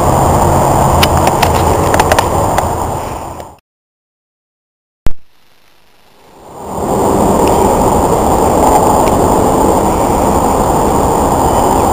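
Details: Dense low rumbling noise, like wind buffeting or a microphone being handled, fills the clip. It cuts to near silence midway, with a sharp click, before the rumble returns; no animal voice is heard.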